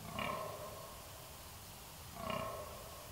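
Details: Red deer recorded on 13 October 2019 giving two short, hoarse, harmonic roaring calls about two seconds apart, each lasting under a second, over a steady low background rumble.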